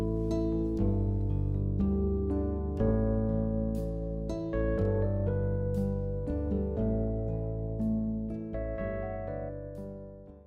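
Plucked harp-like music with sustained chords plays throughout, with no animal sounds.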